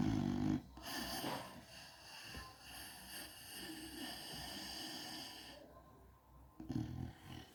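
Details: Sleeping American Bully snores: a harsh, low rumbling snore opens and another returns near the end, with a long, breathy, faintly whistling exhale stretched between them in a quiet room.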